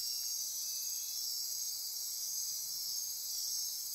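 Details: Brief stretch of a Costa Rican rainforest night near Corcovado National Park, Osa Peninsula: constant high, shimmering insect trilling and buzzing with no other clear sounds.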